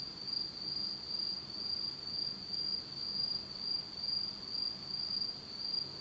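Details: A pitch-dark Japanese autumn night filled with insect song, one sustained piercing trill throbbing regularly, about two swells each second, with only faint low rumble below.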